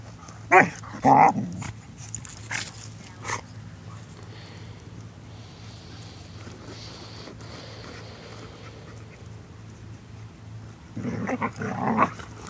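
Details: Dog at a dog park while digging, giving short whining, whimpering bursts near the start and again near the end, with a quiet gap between and some faint speech-like background.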